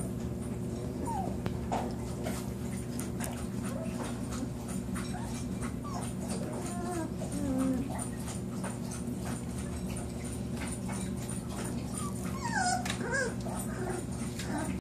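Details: Newborn Lagotto Romagnolo puppies from a litter of eight, four males and four females, born September 25, 2014. Thin, high squeaky whimpers come in scattered short bursts, some rising, over a steady low indoor hum.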